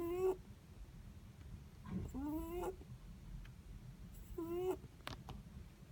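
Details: Netherland Dwarf rabbit asleep, giving three brief wheezy whistling snores that rise slightly, spaced unevenly, with a faint click near the end and low room hum beneath.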